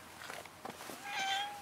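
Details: Domestic cat answering with one short, clear meow after a woman's voice softly calls to it.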